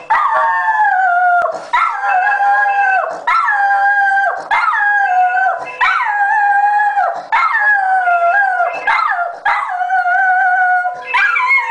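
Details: A Border Terrier, set off by a ringing phone, howls in a run of mid-pitched, wavering tones, each lasting about a second and a half.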